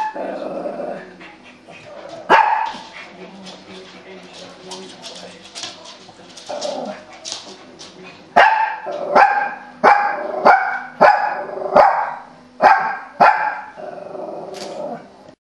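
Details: Female Shih Tzu watching an animal programme on television: a murmur of TV sound and soft whining at first, then a volley of sharp barks repeated about every half second to the end.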